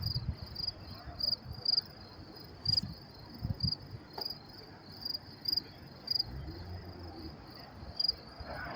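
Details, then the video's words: Night crickets in New York City, 10:30 p.m., May 28, 2024: steady series of high pulsed chirp bursts about every half second, with faint low rumble and a few brief clicks in the background. "sound of crickets chirping"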